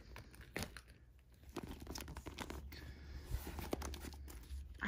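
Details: Crinkling, tearing and rustling of plastic and packaging indoors, with occasional soft clicks and no animal voice.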